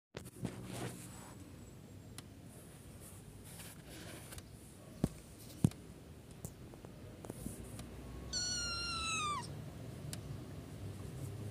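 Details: Two baby kittens; one high, tonal meow that falls in pitch near the end, after a stretch of quiet indoor room tone with scattered clicks and soft rustling.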